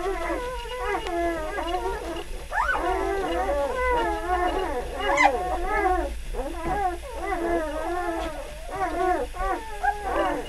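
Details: Newborn puppies, three days old, from litter F Beli Andjeo. Drawn-out whining wails bend up and down, overlapping in a continuous restless chorus with brief louder yelps.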